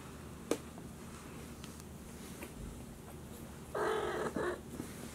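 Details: Two Maine Coon kittens, George and Charlotte, explore a room at a Tokyo cattery days after first leaving their nesting box. After a single click, one drawn-out mew comes, followed by a short clipped second one.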